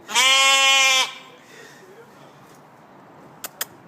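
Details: Goat gives one loud, funny nasal bleat lasting about a second, after a person says hello, followed by quiet and a couple of faint clicks.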